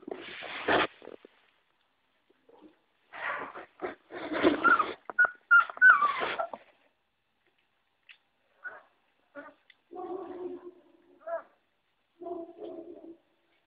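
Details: Puppies aged five weeks: rough, noisy yelping bursts up front, then after a quiet gap a string of soft, thin whimpers and short whines.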